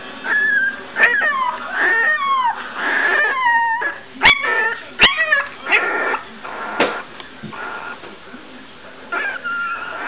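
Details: Young puppies from a 2009 litter taking first steps and giving first barks: high, thin squealing yips and whimpers, many sliding downward, in irregular clusters with brief pauses between.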